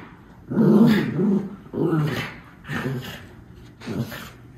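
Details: Two Miniature Schnauzer brothers playing with two toys, recorded in Aroostook County, Maine, on November 27, 2021: four low, throaty growl bursts, the first longest and loudest, each separated by brief quiet.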